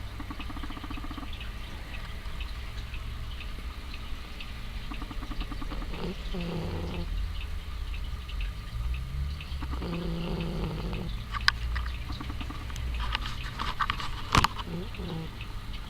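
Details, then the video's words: Sasha, a female house cat sleeping with an eye open, snores in slow rhythm: two low, rasping breaths about four seconds apart, with faint clicks and rustles between them in a quiet room. "Snoring cat sleeps with one eye open"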